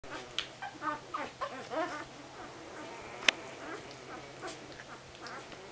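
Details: One-week-old puppies of Banks and Mallie give thin, squeaky whimpers in a loose series, some rising and falling in pitch. One sharp click cuts in partway through, over a faint steady hum.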